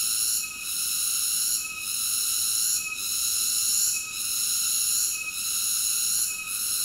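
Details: Cicada song as an unbroken, metallic high-pitched drone with brief rhythmic fades about every 1.2 seconds. No other noises.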